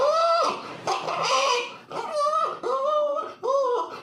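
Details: Short, arched whimpers from a puppy, each call bending up then down in pitch, repeated about every half second to second, with a noisy, breathy stretch partway through.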